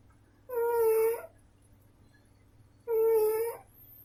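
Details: Tiffany, a female pet cat, snoring: two steady whistled, nasal-sounding tones, each under a second long, about two and a half seconds apart like breaths, with a faint low hum in the background.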